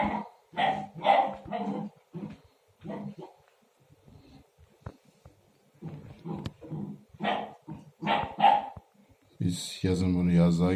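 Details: A young Akbash puppy that has just started barking while playing with its water bowl gives short, high puppy barks and yips between stretches of a man talking.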